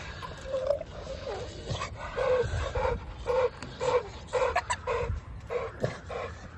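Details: American Bully dogs during a first mating: a series of short, high whines and whimpers, about ten repeated at irregular intervals, with rustling and handling noise behind.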